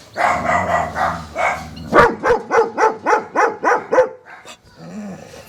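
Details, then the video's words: German Shepherd dog: a drawn-out, wavering harmonic cry for nearly two seconds, then a fast run of about eight sharp, evenly spaced barks, ending in a faint low whine. "barking sounds of German Shepherds"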